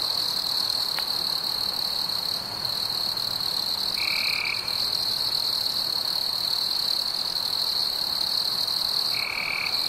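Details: Crickets chirping on a warm summer night: an unbroken, steady high trill with faint higher overtones, joined twice by a short, lower, even tonal note lasting about half a second.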